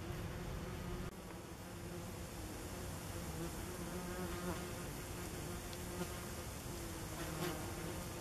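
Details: Common wasps at their nest beneath tree roots along a forest path, late summer 2015: a steady low hum with faint droning tones, overlapping wingbeats of several insects, and a soft click near the start.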